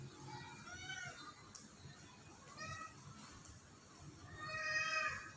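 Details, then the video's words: Cat on the roof of a house giving several meows: a short call near one second, a brief one around two and a half seconds, and a louder, longer harmonic meow near the end, with a background hiss throughout. "Kucing di atap rumah"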